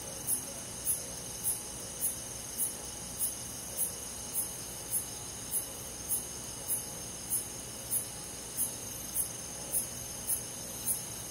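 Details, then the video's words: A summer night's forest chorus of crickets: clipped, high chirps keep an even beat of roughly three every two seconds above a continuous ringing background of other insects. "잠이 잘오는 여름밤 잔잔한 풀벌레소리"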